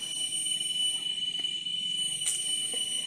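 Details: Cicadas (tonggeret), common at the summit of Gunung Lalang forest park in Belitung, Indonesia, keep up a steady, shrill, ringing drone that runs unbroken from start to finish.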